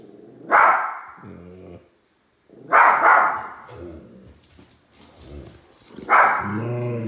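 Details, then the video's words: Two little dogs barking at a large toy, sharp broadband barks in three bursts about every two to three seconds, with lower harmonic whines and growls between them. "Two little dogs bark at large toy"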